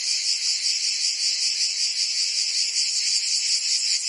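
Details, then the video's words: Brief stretch of cicada song from a summer day in Provence, France: a bright, sizzling buzz with a gentle repeated pulsing throb, continuous from start to finish. "Cicadas singing in France (Provence)"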